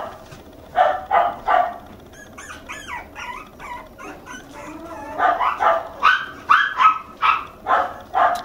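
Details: Toy Poodle puppy Mikuru, a red male aged two months, at a puppy house in Arakawa, Tokyo; a few sharp yaps, then thin wavering whines, then a fast run of shrill barks about twice a second.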